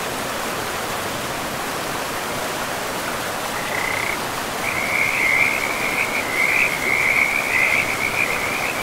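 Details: Frogs by a river in a pristine, moss-covered forest: steady rushing water at first, then from midway a high, rapid pulsing trill that swells and continues to the end over the river's constant hiss.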